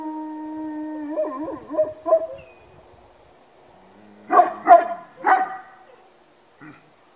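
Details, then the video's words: Howling Georgian Shepherd dogs give a sustained level tone that wobbles and breaks into yelping, followed after a pause by three sharp, loud barks and a final faint yip. "ქართული ნაგაზები ყმუიან??? დიახ..ყმუიან..ჩემი ძაღლების მორიგი რამოდენიმე დღის ყმუილი"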